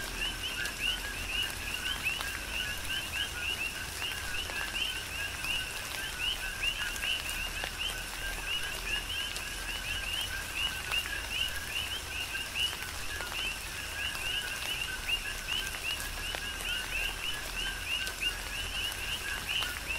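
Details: Chorus of many coqui frogs calling through a tropical rain shower on the Big Island of Hawaii, overlapping two-note chirps in a steady band, with constant rain patter and occasional drops.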